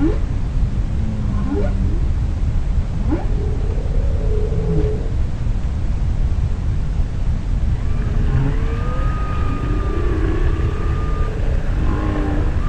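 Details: Humpback whale song: drawn-out moaning and whooping tones that rise and fall over a deep underwater rumble.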